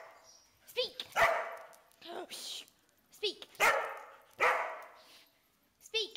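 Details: Pet dog trained to bark on command, giving short, sharp barks in reply to a person repeating "speak"; three barks between the spoken commands.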